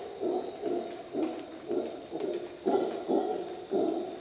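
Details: Howler monkey in Costa Rica jungle at dawn, giving deep, hoarse grunts in a steady series of about two per second. A loud, continuous insect buzz fills the high register.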